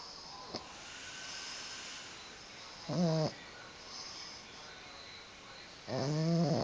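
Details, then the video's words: Sleeping pug snores in a quiet room, two brief buzzy harmonic snorts about three seconds apart, each lasting under half a second, separated by soft breathing hiss. "Carlino roncando"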